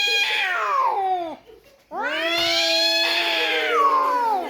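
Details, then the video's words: House cat arguing with another cat: a falling yowl that drops away, a short silence, then a long, steady, nasal wail held for over two seconds before sagging at the end. "Funny Cats Arguing - Cats Talking To Each Others"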